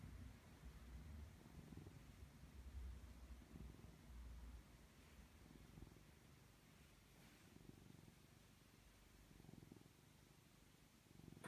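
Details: A domestic cat purrs while being cuddled, a steady low rumbling throb that swells and fades in slow cycles, recorded close and quiet with faint broadband hiss.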